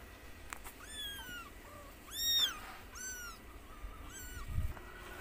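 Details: White mother cat playing with her kitten; a series of about six high, thin mews, some arching up then down, others short and flat, spaced through five seconds over a low steady hum.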